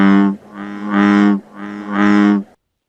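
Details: A frog gives its territorial and courtship calls: three deep, droning, reedy calls over about two and a half seconds, the middle two swelling louder toward their ends.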